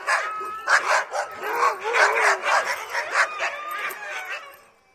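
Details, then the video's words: Dogs barking at the gate: a rapid series of harsh overlapping barks, about two per second, with a thin whine running beneath, fading out at the end. "cachorro latindo no portão"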